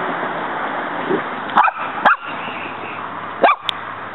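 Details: Muñeca, a female pet dog in a backyard, barking at a praying mantis she keeps trying to fight; three short sharp barks spaced irregularly over a steady background hiss.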